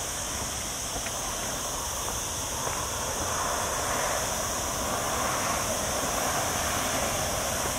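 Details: On a cloudy day in a hot week, a chorus of cicadas among olive trees in the lower Sierra Llana mountains near a town holds a continuous, shrill, high buzz over broad hissing noise, likely wind or movement.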